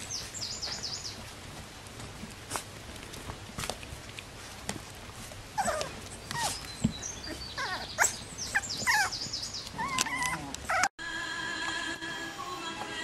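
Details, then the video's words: Bichon Frise puppies from a litter, heard in short whining squeals that bend up and down in pitch, scattered through the middle seconds, with high bird-like chirps at the start, frequent clicks and knocks, and a sudden cut to a steadier tonal hum near the end. "Bichon Frisé hvalpe"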